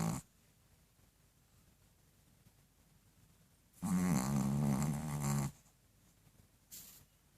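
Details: Pet dog snoring loudly indoors: one long, rough, droning snore with a low buzzing tone lasting under two seconds, then quiet breathing, and a short noisy breath near the end.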